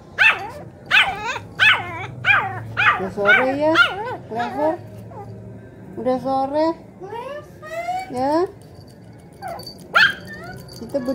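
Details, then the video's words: Poodle 'talking' back to a grandmother: quick repeated yelps at the start, then longer wavering, rising-and-falling whines, with a person's voice mixed in. "HOW GRANY TALK TO CLEVER CUTE DOG POODLE."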